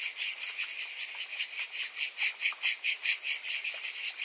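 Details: Several cicadas buzzing in summer heat, their shrill electric whirr swelling and fading in brisk regular beats, a little louder and more clearly pulsed toward the middle.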